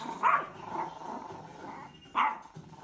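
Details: Yorkshire Terrier barking: two short, sharp barks roughly two seconds apart, with a quieter murmur and low background hum between them.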